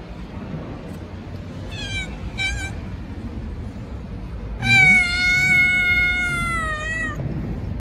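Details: Stray cat meowing: two short, rising chirping mews followed by one loud, long drawn-out meow of about two and a half seconds that slowly falls in pitch, over steady low background rumble.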